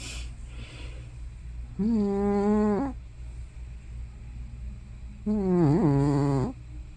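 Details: Elderly cat Hana, thought to be over 15 years old, producing loud sounds in her sleep, snoring or sleep-talking: two droning, harmonic moans about a second each, roughly three seconds apart, the second wobbling in pitch.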